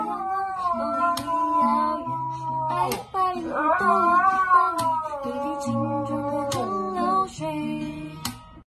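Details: Pet Siberian Husky throwing an exaggerated tantrum after a single scolding from its owner: wavering, yodel-like howls that rise and dip in pitch in several phrases, with steady background music underneath.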